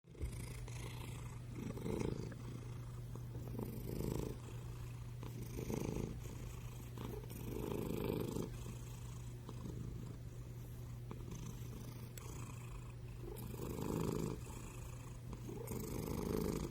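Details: Sleeping black-and-white cat snoring loudly: a steady low rumbling purr with swelling pulses about every two seconds, continuous throughout, with a faint constant hum underneath.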